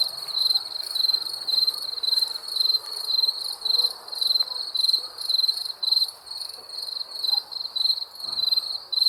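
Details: Crickets chirp at night in steady high-pitched pulses, a clear trilling note repeated a little under twice a second.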